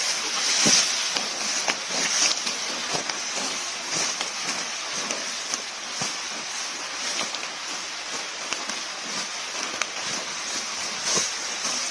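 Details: Steady bright hiss with scattered soft crackles and clicks, and no animal voice.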